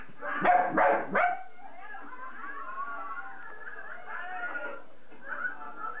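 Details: Jack Russell Terrier giving a few loud, harsh yelping barks at the start, then a long wavering, whimpering whine that rises and falls over several seconds.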